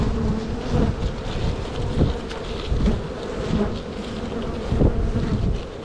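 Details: Spring hive split of honey bees likely to swarm soon: continuous humming drone of many bees at the open hive, with a steady mid-pitched tone and soft bursts of wind buffeting underneath.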